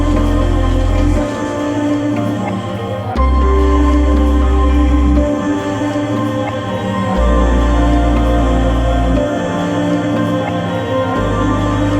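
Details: Slow ambient new-age music with sustained tones and a deep pulsing bass, with no animal sound heard.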